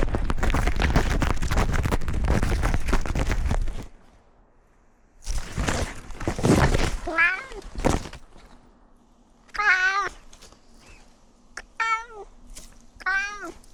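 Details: Cat in a newly renovated outdoor catio, with outdoor cat Simba wearing a camera on a tree-climbing tour. About four harmonic, wavering meows rise and fall from midway on, after several seconds of loud, broad rushing noise.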